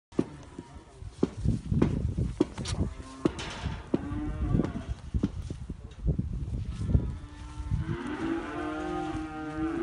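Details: Holstein bulls with American registration, kept in Libres, Puebla, Mexico: repeated metallic clanks and knocks, then a long deep harmonic moo at the end, with a shorter low lowing earlier.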